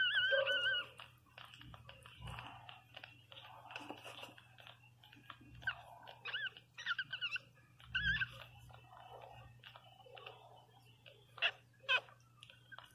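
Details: Loud wavering squeal from the newborn Pinscher Teco at the start, then brief whimpers and clicks. A second strong squeal comes around eight seconds, and scattered sharp squeaks follow later, all over a low indoor hum.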